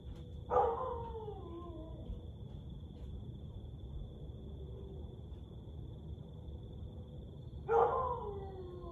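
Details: Siberian Husky howling at 1:49am on 30 May 2021: two drawn-out howls several seconds apart, each starting high and gliding down in pitch, with a faint steady high-pitched tone and low rumble underneath.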